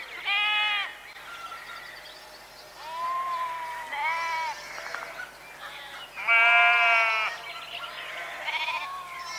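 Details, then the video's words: Flock of sheep calling: a run of overlapping bleats, some high and nasal, others lower and longer, one loud drawn-out baa near the end, with light background hiss. "Ovelhas - Som da Ovelha - Ovelha Berrando"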